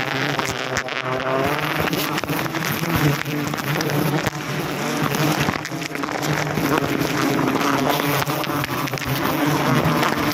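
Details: Wild forest honey bees buzzing during a wild honey harvest in Indonesia; a dense, steady droning hum with layered pitches throughout, mixed with clapping-like bursts and music.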